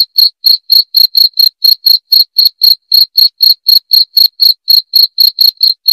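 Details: Cricket chirps used to repel rats, a bright, high, ringing pulse repeated rhythmically about four times per second, evenly spaced throughout, with a clean quiet background.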